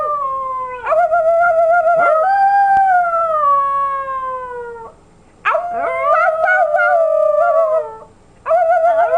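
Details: Female puppy of almost 11 months howling as she mimics her owner's howl: long, clear tonal howls that rise slightly and then slide downward, sustained for several seconds with short breaks, and a brief yip between them.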